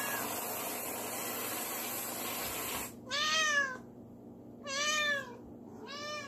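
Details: Indoor male cat excited by whipped cream spraying from a can; after a few seconds of steady hiss, three separate long meows spaced about a second apart, each arching up then down.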